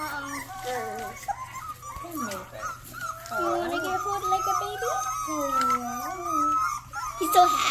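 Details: Young Rottweiler puppy giving some of its first barks: thin, high-pitched yelps and whiny, wavering cries, rising and falling, strung together over several seconds, with a person talking alongside indoors.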